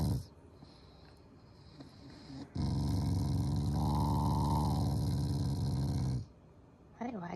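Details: Affectionate Shiba Inu growling at its family during a morning routine, not angry; a sustained deep, grating rumble lasting several seconds after softer sounds, ending with a short high whine.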